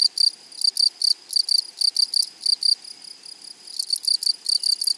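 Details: Close, loud grasshopper stridulation in a flowery meadow: sharp scratchy double pulses repeat in quick succession, pausing briefly midway before resuming in a fast rasping series.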